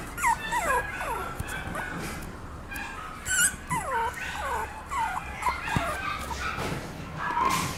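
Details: Young Papillon dog Bibi whining repeatedly, each cry a quick falling squeal, roughly twice a second in uneven runs, with a brief clatter midway and a steady low hum underneath.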